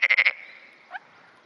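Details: Black-spotted pond frog calling in early morning on 10 June 2009; one short burst of four rapid, rasping pulses, then a faint distant note and quiet.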